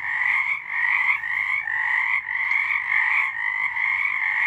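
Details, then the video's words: Night chorus of frogs recorded in March 2023: many callers blend into a steady, unbroken wall of pulsing croaks, pitched in two bright bands, with no other sounds standing out. "Frogs singing"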